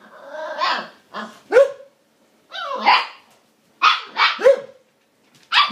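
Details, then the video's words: Female Siberian Husky puppy Lady 'talking' as she tries to coax a border collie into friendship and play: drawn-out, wavering, howl-like yowls that rise and fall in pitch, mixed with sharper yips in quick succession. "Brave little talking Siberian husky puppy attempts to make"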